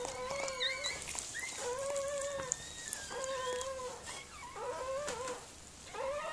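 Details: Miniature Pinscher Mirella giving birth to puppies; steady, drawn-out whines with rich overtones, each lasting under a second and separated by brief pauses, one ending in an upward flick.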